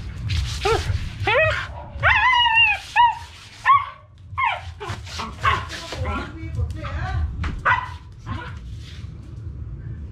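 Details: Japanese Spitz–Maltese mix dog named Poochie giving a quick run of high whining yips and short barks, tones bending up and down in bursts, over background music and people talking.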